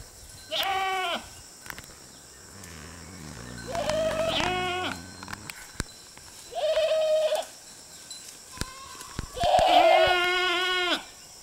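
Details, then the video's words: Herd of goats grazing beside a road, with four loud harmonic bleats about every three seconds. Each is a wavering, nasal maa that is sometimes falling at the end. Faint background noise and clicks are heard between them. "Goat Sound Effects"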